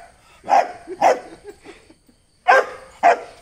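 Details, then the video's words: Pet Dachshund showing off its toughness, barking in two pairs of short, sharp barks, each pair half a second apart with a pause of over a second between pairs. Quiet murmurs are heard between them. "ഇനി DACHSHUND കുരയ്ക്കില്ല എന്ന് പറയല്ലേ"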